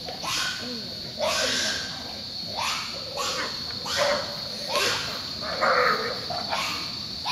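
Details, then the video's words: A very large, noisy group of wild pigs roaming free in jungle near a lodge at San Miguel del Bala, Maldini National Park, Bolivia, September 2011. Harsh, broadband grunting bursts about every second; a steady high whine runs underneath. "Wild Pigs"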